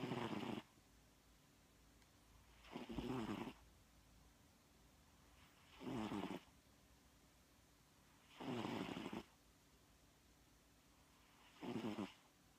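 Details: Domestic cat asleep at midday, snoring steadily: five raspy, noisy snores, each lasting under a second and spaced about three seconds apart, in an otherwise quiet indoor room.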